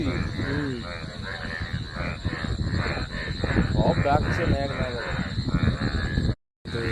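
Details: Indian bullfrogs (sona bang) chorusing after rain, a dense overlapping mass of harsh, throaty croaks repeating rapidly, several callers at once, with a brief dropout near the end.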